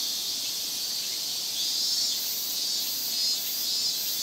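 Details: Big summer chorus of many cicadas in Japan, known locally as semi-shigure ('cicada shower'): a dense, shrill, unbroken hiss held high and steady, with gentle swells in loudness and no other clear sounds.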